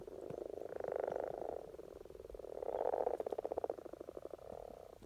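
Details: Spring courtship of common frogs in Norway, Rana temporaria calling: soft low grunting croaks in rapid pulsed trains, about three per second, rising and falling in loudness over a few seconds.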